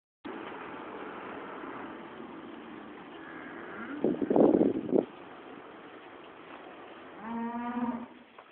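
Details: Cows at a workplace: a brief rough burst of sound midway, then a short, low, harmonic moo near the end, all over steady broadband background noise.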